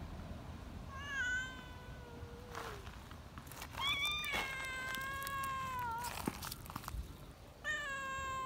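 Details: Young friendly community cats cry shrilly with excitement while being held. Several drawn-out, high, harmonic meows follow one another. Some are level and some dip at the end. Quiet gaps and soft handling noises fall between the cries.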